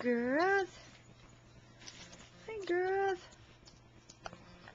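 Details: Two drawn-out, arching whines, each rising then falling in pitch, come from playful female puppies in a living room, separated by a quiet pause with faint household rustling.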